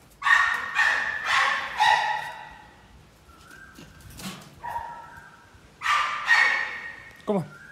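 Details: American Pit Bull Terrier at a workout session gives a quick series of four harsh barks, then a gap with a short whine, then two more barks; a man keeps calling "come on" between them.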